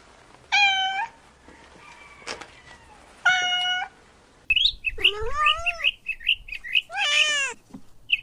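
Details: Kittens chasing butterflies on grass give clear harmonic meows: two flat, sustained cries, then a run of short chirpy mews and a long falling meow, with quiet gaps and faint rustling between calls.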